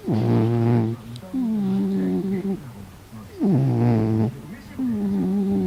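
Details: Cat snoring while asleep, its rasping deep inhaled snores alternating with a long, level, whistled breath, two cycles in quick succession.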